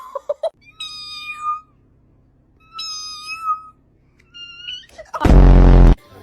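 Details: ['Pet cat gives three drawn-out, tonal meows, each holding steady and then sliding down at the end, spaced about 1.5 seconds apart over a low background hum. A woman talks and laughs nearby, and a loud burst of noise closes the clip.']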